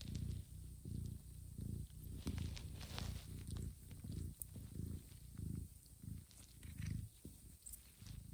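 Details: Johanna, a mother cat, gently grooms her sleeping kittens to wake them for feeding; a steady, deep purr rises and falls in regular pulses, roughly one and a half per second, with faint clicks of licking.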